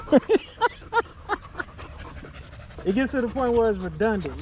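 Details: Male Staffordshire Bull Terrier with other male dogs in a park during a long evening, vocal pack chat: a string of short clipped yelps at first, then drawn-out warbling, howl-like whines that dip and rise in pitch.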